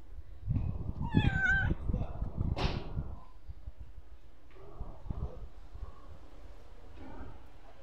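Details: Stray street cat giving a short wavering meow and a brief breathy sound early on, then fainter mews and a human voice over low background rumble.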